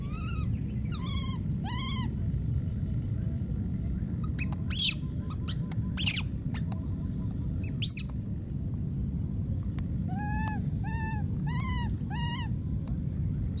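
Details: Young wild monkey crying out for a missing friend, giving bursts of short arched wails at the start and again near the end, separated by sharp clicking snaps, with a continuous low background rumble.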